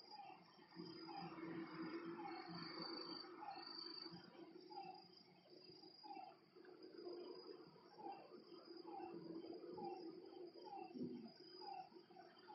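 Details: Night chorus at a lakeside: frogs give brief descending notes in a loose, steady series, roughly one or two per second, against a continuous high-pitched insect drone and soft low rumble.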